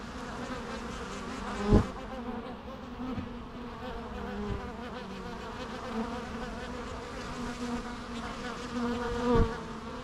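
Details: Continuous low hum of numerous bees, a dense droning buzz broken by a couple of sharper, louder passes as individual insects fly close by.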